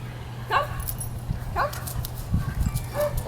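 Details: German Shepherd puppy during a training session, giving short yelping barks about once a second, each a brief harmonic burst, while a man calls it to come and sit, with a steady low hum underneath.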